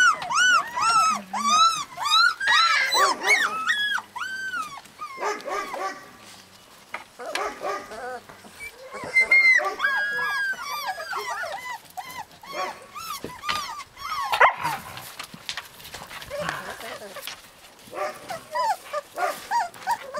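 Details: Several husky puppies in Lapland whining and yelping, high curved cries in quick runs, a lull midway, then renewed bursts of overlapping squeals and a few sharper barks.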